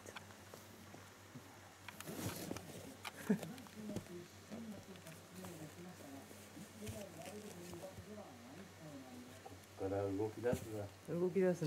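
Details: Newborn Shiba Inu 屈, whose eyes and ears have just begun working and who is already standing up, keeps up rapid, quavering little squeaks and whimpers, growing louder and more insistent toward the end, with a man's voice and handling noise.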